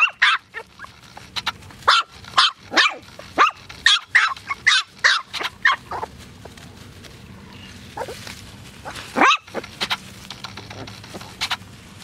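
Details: Poodles barking in a rapid series of sharp, high barks over the first six seconds, then a few scattered yelps and quieter barks with background noise.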